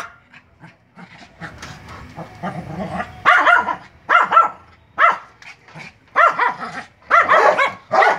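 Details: Dog barking at a Doberman, giving loud, harsh barks singly or in quick pairs about once a second after a quieter start with softer yips and low murmuring.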